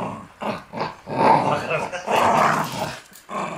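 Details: Shiba Inu, one of three dogs at tug of war play, giving short gruff growls in choppy bursts that rise and fall, separated by brief pauses, with a faint voice in the background.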